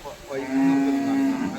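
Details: Young water buffalo at the Chattiparamba cattle market, offered for buffalo racing. It gives a single steady, harmonic moo of about one second that swells and then fades, with faint market noise behind it.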